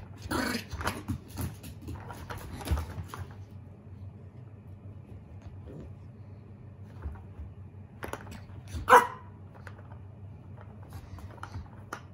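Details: Shiba Inu puppy named Koro, a mame shiba, warily threatening a lint roller while playing indoors. Scraping and rustling fill the opening seconds, soft knocks follow, then one sharp, short bark rings out near the end.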